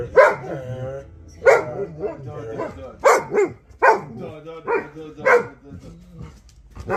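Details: Alabai, a Central Asian Shepherd Dog named Vasya, 'talking' with a run of deep, resonant barks roughly every second or so, some with a moaning, drawn-out tail, while people chatter and laugh nearby.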